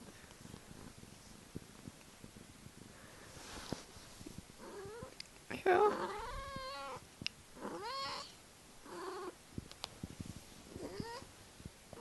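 A Norwegian Forest cat gives a run of short, high, wavering meows, with a person speaking briefly.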